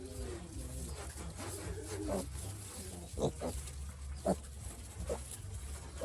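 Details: A sick piglet, ill since it was little, gives short grunting calls around 500 to 600, spaced irregularly, with a persistent low engine-like hum beneath and some faint voices.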